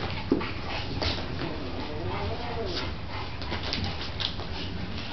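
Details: Bronx, a dog, playing with pups: a soft, arching whine rises and falls at mid-pitch through the middle, over a steady low hum and faint scuffling.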